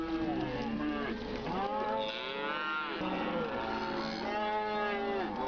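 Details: Herd of grazing cows calling together, dense layered moos with arching pitch contours, a higher, brighter bellow rising above the lower droning calls midway through.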